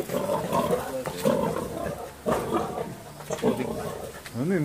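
Wild boar produce coarse, low grunts and rough squealing bursts, roughly one a second but unevenly spaced, made during mating. A short rising-and-falling squeal closes the sequence, with faint voices possibly in the background.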